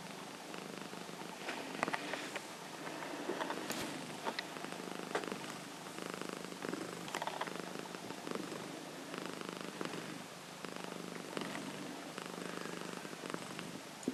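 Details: Nova, a female Himalayan cat, sleeping and rolling indoors: a soft, steady rasping purr-like snore of fine rapid pulses, with scattered rustles and clicks from her movement.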